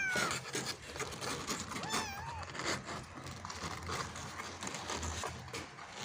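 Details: Kitten struggling to get out of a hole: a short falling mew at the start, then one wavering, warbling meow near two seconds, half buried in constant rustling, scratching noise and low hum.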